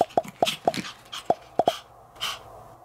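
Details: White female Pomeranian born July 2015, on a diet and wanting more snacks, gives a rapid string of about seven short, high, squeaky whimpers within two seconds, then one softer, breathier whine.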